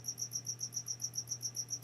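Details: Cricket hidden somewhere indoors in a room, chirping in the background: a steady train of high, even pulses, roughly seven a second, over a constant low electrical hum.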